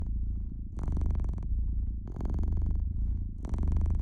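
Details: Domestic cat purring by a fireplace: a steady low rumbling purr that swells in three long pulses, each about a second, with quieter gaps between.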